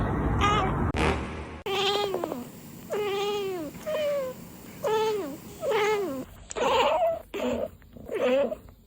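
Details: Domestic cat giving a series of drawn-out, wavering meows, each rising then falling in pitch, roughly one per second, with brief clicks between calls.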